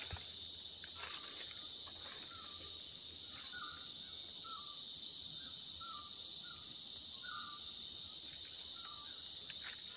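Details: Sinharaja rainforest insect chorus in Sri Lanka, a continuous piercing high-pitched buzz without pause, with brief quiet chirping notes scattered through the background.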